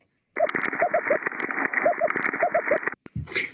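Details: An Ambon damselfish, a small yellow fish common on coral reefs, makes faint, short, quick high-pitched chirps in small clusters over a steady underwater hiss.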